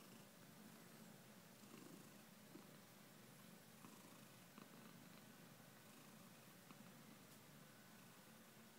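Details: Cat purring in a sustained, rhythmic low rumble, each breath-cycle faintly swelling and easing, with occasional small clicks nearby.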